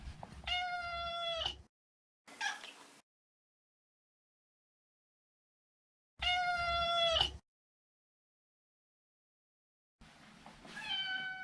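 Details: Male neutered Maine Coon cat meowing indoors: two long, steady, tonal meows about a second each, a short rising mew between them, and a further meow at the end, with silence between calls.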